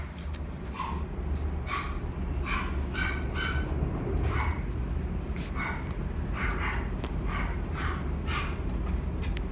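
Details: A female white-and-gold Shih Tzu puppy born December 2018, in a pet shop, gives short, high yips in quick, uneven bursts over a steady low indoor hum.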